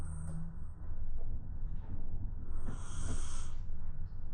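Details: Shiba Inu, a round-bodied dog asleep on the floor, snoring: low rumbling breaths pulse steadily throughout, with a louder, rasping hiss around the third second and faint higher snorts near the start.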